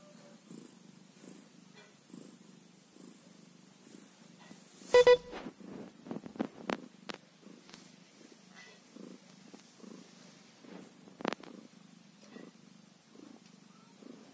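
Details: One-day-old kitten purring: a soft, low, steadily pulsing purr throughout, with sharp clicks and handling noises around the middle.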